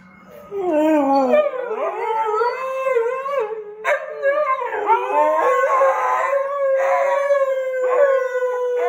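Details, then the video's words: Two Siberian huskies, Sirius and Hendrix, howling indoors in response to wolves howling on TV; loud, overlapping drawn-out howls with wavering, sliding pitch that rise and fall, voices layering over one another with brief yips between phrases. "HUSKIES Howling With WOLVES!"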